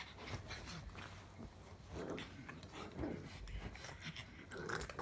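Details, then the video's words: Pug grumbling: low rough rumbles and snorty huffs in uneven bursts, with breathy noises in between and scattered clicks and rustles indoors. "Pug Grumble 4"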